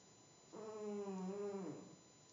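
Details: Domestic cat snoozing on a table inside a home. A single steady, buzzy snore starts abruptly, holds level for about a second, then drops slightly in pitch and fades. Nothing else is heard.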